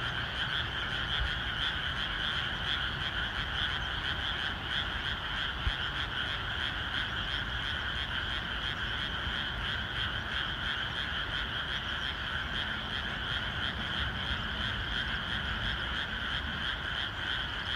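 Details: Dense chorus of frogs in a rain-soaked rice field ahead of planting, countless croaks merging into an unbroken buzzing drone, pulsing roughly three times per second, with steady low rain rumble beneath.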